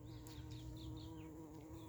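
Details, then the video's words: Honey bees collecting honey: a steady, low droning hum with a faint, even tone throughout, plus a few soft, high chirps in the background. "দেখুন কিভাবে মৌমাছি মধু সংগ্রহ করছে।"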